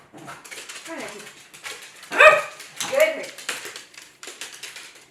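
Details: Cavalier King Charles Spaniels barking excitedly indoors while chasing their owner around a kitchen island during bark-on-command training; two sharp, harmonic barks about a second apart stand out amid softer whines, movement and household noise.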